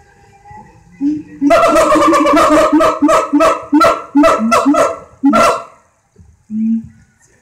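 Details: A siamang at a zoo in Alexandria gives a rapid series of loud, harsh, hooting barks that stop abruptly.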